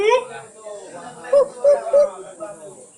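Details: Siamang at Gunung Gerute in Aceh Barat, Aceh, giving a few short, hooting notes around mid pitch, each a brief rise and fall, three in quick succession near the middle, over faint background hiss.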